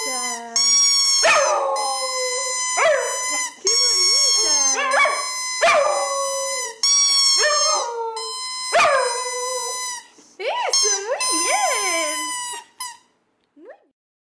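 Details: A female dog sings to her squeaking bowling-pin toy, 23 January 2010; a series of wavering, yodel-like howls rise and fall in pitch, broken up by repeated toy squeaks, fading to quiet at the end.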